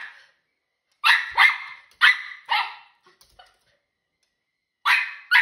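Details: A female Miniature Schnauzer puppy barks angrily at birds in the backyard: sharp, fairly high barks in quick pairs, about six in all, with short pauses between the bursts.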